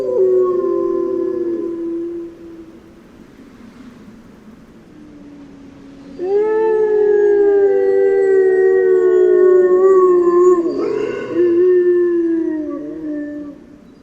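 Grey wolves howling, long sustained tones sliding slowly down, with several voices overlapping in chorus.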